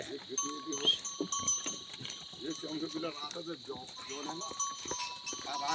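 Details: Himalayan goats with a herd in the jungle near a village in Uttarakhand, India, bleating in short wavering bursts that overlap from several animals, with a steady ringing of cowbells and some voices behind.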